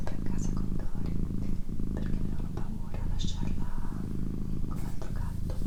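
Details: A female domestic cat purrs indoors, a thick low rumbling hum pulsing rapidly and evenly throughout, with gentle whispering and small soft clicks layered above.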